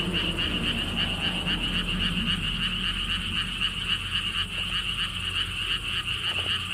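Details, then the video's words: Lotus pond frogs in Siheung, Korea, at a lotus theme park beside a stone wall path. Many callers overlap in a fast, rattling pulse that never stops, over a deep wind-like rumble and faint background noise. "돌담길, 바람, 개구리 소리를 품은 연꽃 테마파크.Stone wall path, wind sounds, and frog sounds with Lotus theme Park."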